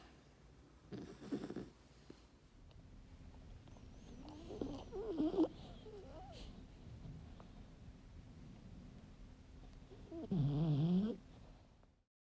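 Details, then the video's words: Sleeping French Bulldog from Kyoto, Japan, giving low rumbling snores, a wavering nasal snort midway and a loud grumbling snore near the end, over a steady low hum. "【寝顔特集・いびきver】色々とヤバ過ぎる犬 / Frenchbulldog"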